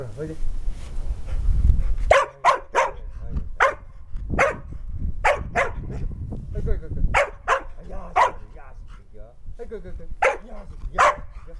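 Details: Field-type Labrador Retriever that loves disc play and is very energetic; short sharp barks repeated at irregular intervals of about half a second to a second, mixed with low rumbling handling noise.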